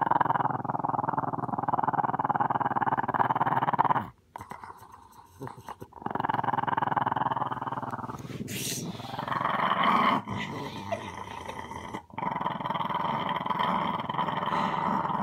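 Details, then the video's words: Growling from a small dog, steady harsh rumbling runs broken by a couple of short gaps, with a faint voice and a brief click partway through, in an indoor room. "Little dog with big growl"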